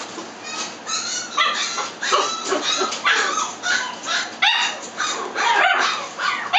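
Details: Toy Poodle giving a continuous series of high, whiny yelps and whimpers, short rising and falling cries packed closely together throughout.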